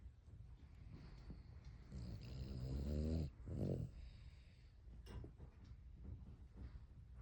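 Low, rumbling snores from a Cavalier King Charles Spaniel swell into a rattling, fluttering breath before easing off. The sleepy snorts come in slow, uneven pulses against a faint indoor hush.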